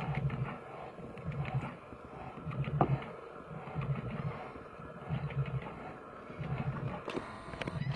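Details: Two big brown bears fighting in Finland give deep, rumbling growls in bursts about every second or so.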